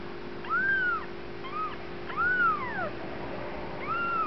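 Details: Bengal kittens of Lennox's first litter rolling around and playing, with clear arched mews that rise and fall, four calls in about four seconds, some with a faint upper overtone, against a constant low hum.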